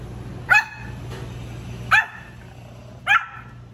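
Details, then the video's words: Pomeranian puppy, a young male just starting to bark, gives three short, high yappy barks spaced about one to one and a half seconds apart over a steady low indoor hum. "Pomeranian barking voice💕| puppy’s first bark."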